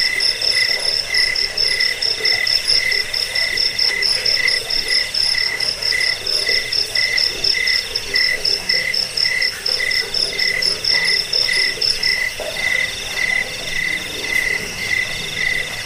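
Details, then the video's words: Cricket sound used to repel rats, as a lullaby and as a tutor for training songbirds: steady, high, pulsed chirping of about two pulses per second, with a bright upper band and faint fast ticking above, continuous throughout. "Suara jangkik pengusir tikus pengantar tidur"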